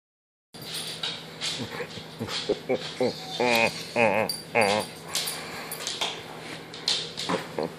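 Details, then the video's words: Ryder, a German Shepherd, whines out of jealousy while a husky gets attention; high wavering whimpers and short yips come in bursts, with a person's voice telling him not to be jealous. "Ryder the German Shepherd Jealous of Husky!"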